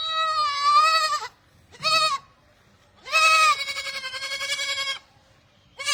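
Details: Barbari goats giving long, strongly harmonic bleats, one wavering in pitch, a short bleat in between and a final drawn-out cry of nearly two seconds that trails off, with quiet gaps separating the calls.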